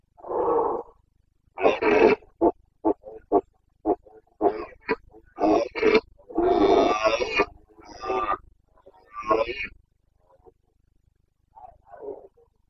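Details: Carpathian red deer stag in Bucovina, breeding season 2022: a long burst of coarse roars and rapid grunting barks, some drawn out, others short and choppy, fading to soft grunts at the end.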